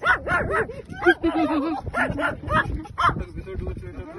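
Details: A Shih Tzu and a Lhasa Apso play fighting at home: quick high yips and short arching whines bunched together, mixed with low growly grumbles, over faint background voices.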